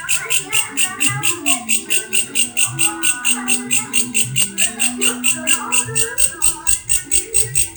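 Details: Grasshopper producing an odd, insistent noise: sharp high-pitched buzzy bursts repeated evenly around four times per second, while human chatter and a faint tone murmur in the background.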